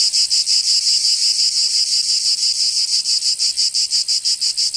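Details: Cicadas singing in summer in Provence, southern France: a loud, continuous high buzzing pulsed about three times a second, with the rhythm steady and nothing else audible.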